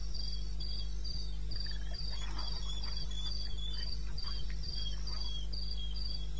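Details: Night-time cricket in eastern Botswana wilderness, recorded 21 May 2016 at 2:30 AM: rapid high chirps in a fairly even series, with fainter scattered mid-pitched chirrups from other callers and a steady low background hum.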